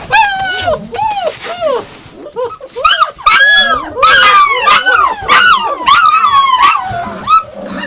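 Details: Yakutian Laika giving a dense run of high, arching yelps and whines, the cries overlapping and rising and falling in quick succession with little pause between them.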